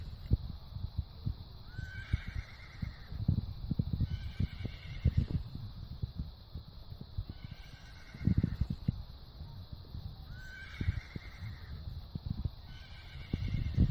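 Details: Grazing horse eating grass: steady low crunching and tearing of chewed grass, overlaid by faint high neighs, each a brief rising onset then a held tone, repeating roughly every three seconds.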